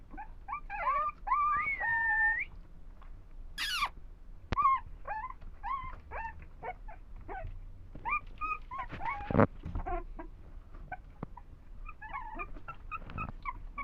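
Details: Young dogs kept for sale in India whimper in a run of short, high whining calls, several bending upward, with thuds and a quick rustling burst partway through.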